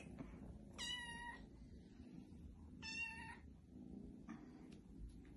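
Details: Foster kittens, five in the litter, indoors; two clear, high, slightly wavering meows about two seconds apart, each roughly half a second long, over low background hum and a faint third cry.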